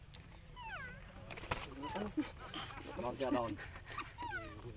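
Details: Baby monkey Lucie crying as its mother refuses milk: a series of thin, whistled, falling whimpers, each sweeping downward, some stacked in quick pairs, with soft rustling and clicks between the calls.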